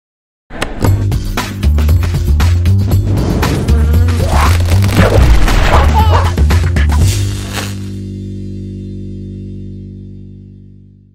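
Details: Loud music with heavy thumping beats plays, then fades to a held chord and trails off into silence.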